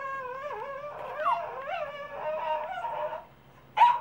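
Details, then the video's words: Cavalier King Charles Spaniel crossed with Papillon, a dog trying its first howl: a steady wavering tonal howl with wobbling pitch for about three seconds, a pause, then one short sharp yelp. "howling and making noises"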